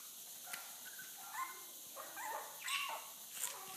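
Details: Chihuahua giving a few thin, high tonal whines, some rising and some falling, spaced across a few seconds, over a faint hissy background.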